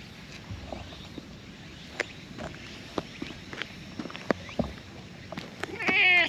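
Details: Orange tabby stray that was sleeping among tetrapods emerges gladly at a familiar face; sharp scattered taps and clicks over quiet background, closing with a single strong, bright meow.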